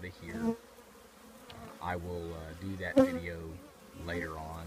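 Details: Honey bees from a colony living in an old trash can, a low droning hum with steady tones broken by short gaps, and brief rising whines as individual insects pass close.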